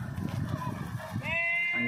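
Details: Village sheep in a flock kept for sale: after low voices and rustling, a single steady, nasal bleat rises in the final second, held evenly to the end with no waver.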